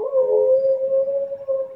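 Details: A male Siberian Husky gives a long, steady, mid-pitched, yodel-like howl that wavers slightly as it holds, as an early-morning wake-up call while it is still dark.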